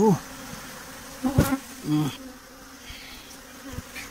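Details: Honey bees at a beekeeping site where a colony is being caught; a steady low hum runs throughout, with occasional clicks, knocks and a brief rising whine.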